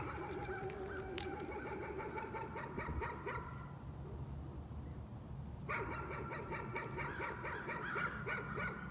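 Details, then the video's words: Nuisance barking from a dog: a rapid, steady run of barks, a pause of about two seconds near the middle, then the fast barking starts again and carries on to the end, over a constant low background hum. "Nuisance barking again."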